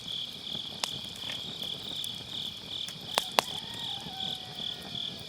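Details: On an autumn night, crickets and other grass insects keep up a bright, high continuous trill as firewood burns close by, with two loud crackles and a soft falling whistle-like sound.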